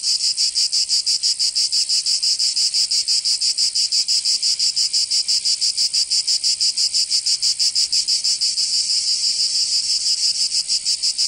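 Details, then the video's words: Summer cicada chorus from Provence in the south of France, a harsh high-pitched continuous rattle pulsing rapidly and evenly, roughly three beats per second, the throbbing smoothing slightly near the end. "Canto Cigarra 🦗 [ Escuchar les cigarras en verano"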